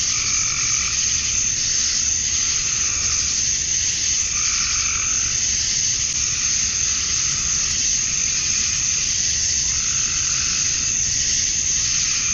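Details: On a summer evening in Georgia, USA, male cicadas keep up their mate-attracting drone, a constant bright hiss, while frogs add spaced, rough croaks every few seconds.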